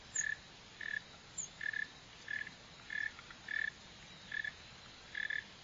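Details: Northern mole cricket (Neocurtilla hexadactyla), shown digging and running, gives short buzzy chirps at mid pitch, about nine evenly spaced bursts in under six seconds, over a steady low background hiss.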